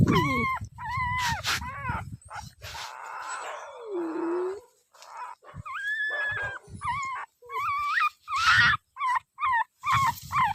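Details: Dog giving high whining yelps and drawn-out howls, some notes rising and falling, in broken phrases with brief pauses and a few noisy bursts between them.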